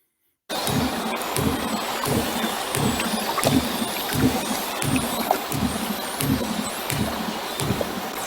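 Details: A minke whale off the Beara Peninsula gives low, throbbing pulse trains with its own clicks, believed to be a reproductive song. A constant barrage of common dolphin whistles and clicks sounds overhead.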